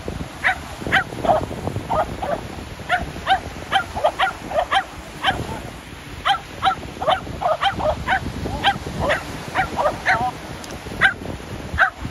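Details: Shetland Sheepdogs playing ball at the sea, barking excitedly: rapid, steady series of sharp barks roughly every half second throughout, over a constant background hiss of wind and waves.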